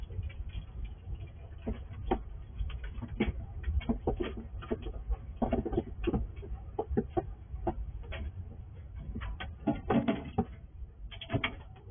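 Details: Squirrel feeding after dark at a house it visits from the wild, recorded with night vision: a dense run of crisp crunching and cracking clicks throughout, strongest near ten seconds, above a constant low hum.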